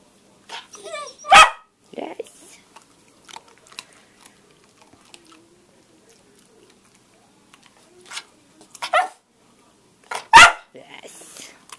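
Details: Australian Cattle Dog female learning to bark on a hand cue, March 29th 2012: three abrupt, loud single barks spaced several seconds apart, with soft human speech and faint handling or chewing noises between them indoors.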